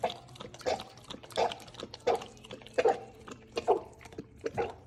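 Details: A young Golden Retriever with cricopharyngeal achalasia, a swallowing disorder, gives short, harsh coughs about every second between wet lapping while drinking from a raised bench. Water goes down his airway, causing a cough while drinking.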